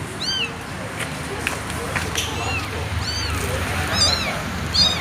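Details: Meows from an abandoned kitten: thin, high, arching cries spaced irregularly, about four in five seconds, with a gap in the middle, set against a continuous noisy background.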